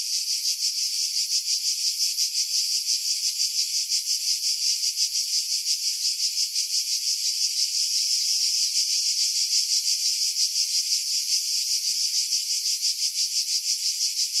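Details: Pine-tree cicadas above the sea at Pefkos Bay, Skiros Island, Greece, July, recorded on a Sony RX3 with external mic; a long, unbroken, piercing buzz with fast regular pulsing near three beats a second, filtered of wind.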